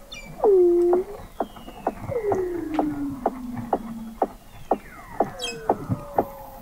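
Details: Weddell seals recorded in November 2017 by the McMurdo Oceanographic Observatory, 21 m below the sea ice in McMurdo Sound, Antarctica: loud descending moaning swoops, long gliding whistles sliding downward, and a steady series of sharp clicks or chirps.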